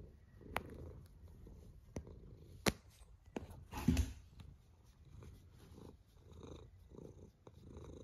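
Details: Low, rough snoring from a cat, each breath a soft rumbling swell about every second, broken by a few sharp taps and a louder snort-like burst midway.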